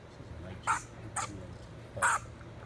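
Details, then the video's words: Harsh, rasping bursts from three honey badgers locked in a three-way fight on a road in southern Kruger, three short loud outbursts spaced under a second apart against a low steady hum. "3 Honey Badgers Fighting in the Road"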